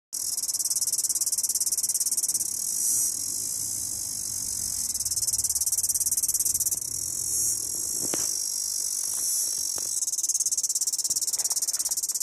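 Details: Cicada; mating call; attracting a mate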